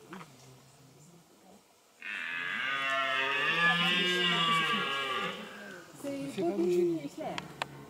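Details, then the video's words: Red deer stag bellowing during the rut at Parc de Sainte-Croix, a single long, hoarse, roaring bellow lasting about three and a half seconds, followed by softer grunting sounds. "Brame du cerf"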